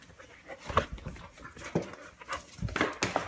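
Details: Golden Retriever after surgery, panting in quick, irregular breathy bursts, with a few soft thumps between breaths.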